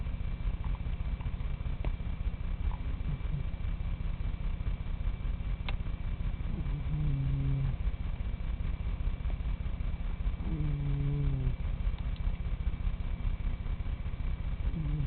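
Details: A pet cat named Bad snoring at rest: a steady low rumbling drone throughout, with a few short rising-falling tonal squeaks around the middle and near the end.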